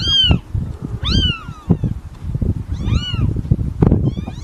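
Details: Newborn domestic kittens meowing: four high, arching mews, each rising then falling, over steady low thumping and rustling handling noise.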